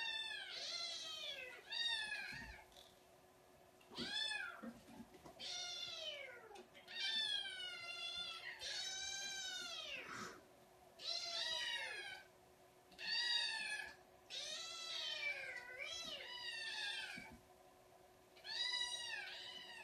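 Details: Kittens crying out in a busy stream of high, bending meows, roughly thirty a minute, often overlapping, with a few soft knocks and faint background sounds.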